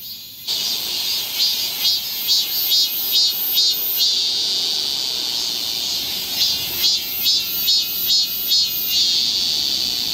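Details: Cicadas chorusing in a Seoul park forest, Galsan Park, in summer: a loud shrill buzzing starts abruptly, then pulses in rhythmic surges roughly every half second over a constant high hum.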